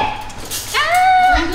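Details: Rottweiler puppy reacting to around 200 balloons, letting out a single drawn-out whining whimper that rises then holds steady, after a brief spoken word.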